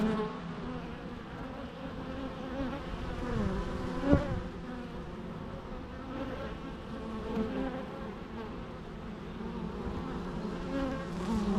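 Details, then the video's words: Continuous buzzing of bees, a layered low drone with overlapping wingbeat tones that rise and fall gently, one brief sharp spike midway. "natural bee sounds"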